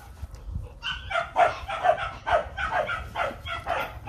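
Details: Two young Rottweilers, Nano and Nina, playing with their owner; a run of short, tonal yelping barks repeats about every half second, with low rumbling handling noise underneath.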